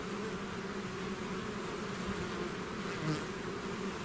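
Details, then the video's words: Short stretch of swarming bees away from their hive, a constant buzzing hum with flickering low tones and a single bee zipping close toward the end. "bees therapy swarm natural buzzing sound"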